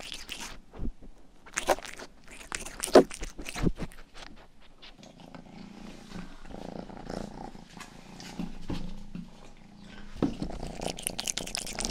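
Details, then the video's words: Rang, a family's youngest domestic cat, grooms the listener's ears for ASMR: sharp wet licking clicks burst through the first four seconds, then a soft low rumbling purr sets in, with steady pulsing and scattered tongue clicks. "ASMR 하는 고양이!(Purring & ear licking sound)"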